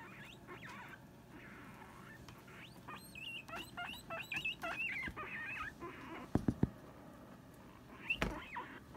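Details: Two female guinea pigs squabble over a hammock, giving a fast run of high, wavering squeaks and chirps, with scuffling rustles and a couple of sharp thumps near the end.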